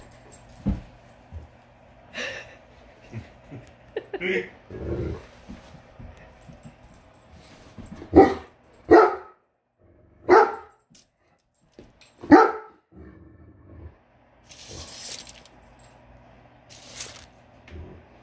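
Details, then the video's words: Great Dane upset by a measuring tape, giving scattered single barks, a few loud and abrupt, separated by long, quieter stretches of low background noise. "Great Dane doesn't like measuring tape!"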